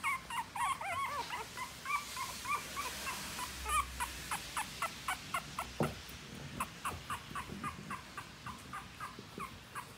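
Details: Newborn French Bulldog puppies squeaking constantly: short high whimpers repeated several times a second, some rising or bending, overlapping from more than one pup, with faint background hiss.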